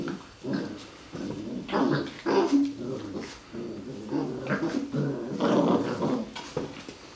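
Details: Golden Retriever puppies, 40 days old, with their adult uncle, give a near-continuous stream of low rumbling growls and whiny grumbles rising and falling in uneven waves, as in rough play.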